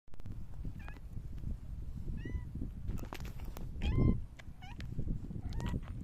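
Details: A silver tabby cat meows while rubbing against someone on 29 August 2024: five short, chirpy meows, some rising and some falling, over soft rustling and shuffling noises.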